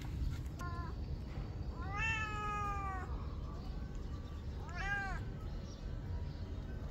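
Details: Hungry cat with an injured head screaming for food, giving a short meow, then two drawn-out harmonic meows, the first long and level, the second rising and falling, over constant low rumbling background noise.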